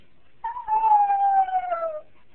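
A Jack Russell Terrier gives a long, high whine that slides slowly downward, crying as its owner leaves.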